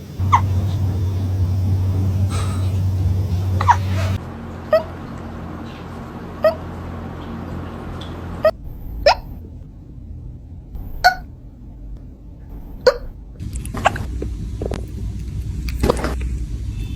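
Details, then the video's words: Hiccuping cat giving a run of brief, sharp clicks at irregular intervals of roughly one to two seconds, over a low droning hum with faint human voices and laughter in the background. "Cats having Hiccups"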